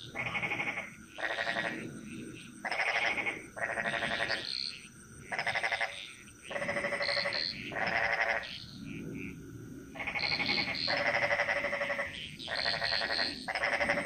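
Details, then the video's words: Bali jungle frog chorus. Rasping, pulsed croaks come in regular blocks roughly every second, with callers overlapping and alternating, over a constant high-pitched insect drone. "Frog Mantras - Relaxing Sounds Of Bali"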